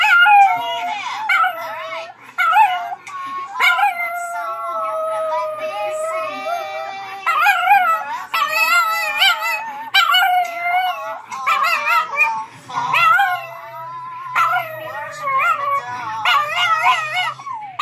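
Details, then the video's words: Two dogs, a Chihuahua and a Chiweenie, singing together in wavering howls. Long held notes give way to choppy, bending yips and wails. Faint music and speech are heard in the background. "Singing Chihuahua"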